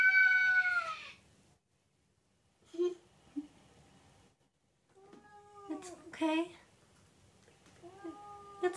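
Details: Indoor hairless cat in a sweater after falling off a dining room table: a loud falling meow at the start, then after a pause several shorter, softer meows and chirps, with a person speaking quietly in between.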